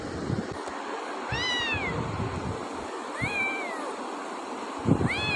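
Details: Pet cat Chhumpu meowing three times, each a clear harmonic-rich meow that rises then falls, spaced about two seconds apart, over a steady low rumble of wind-like background noise.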